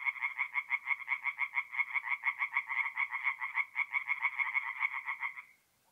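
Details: Tree frogs at a forest pond at night, mid-April in north-east Italy, calling in quick rattling bursts of nasal croaks that overlap, then stop abruptly near the end, leaving silence.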